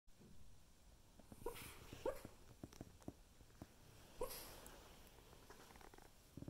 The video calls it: Havanese dog Coco barks in his sleep